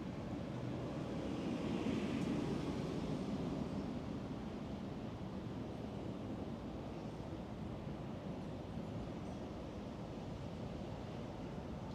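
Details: A steady rushing wash of wind or surf-like noise, with low rumble and no animal call.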